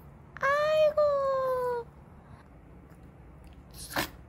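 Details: Janggun, a six-year-old pet Maltese dog, whining indoors: two drawn-out tonal whines, the first steady and the second slowly sliding lower, then a short scratchy burst of noise near the end.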